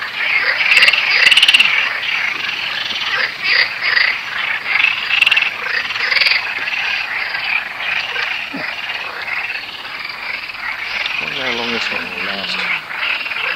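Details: A dense frog chorus of many overlapping high, rattling calls that never lets up, by a river with damselfly-filled weed in south-west France, on the last day of a four-day summer heatwave.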